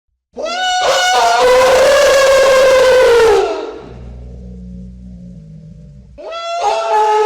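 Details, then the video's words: Elephant trumpeting, recorded as real sound: a loud, brassy, blaring blast with a slight rise for about three seconds. A low steady rumble follows, then a second harsh trumpet starts near the end. "SOM DE ELEFANTE"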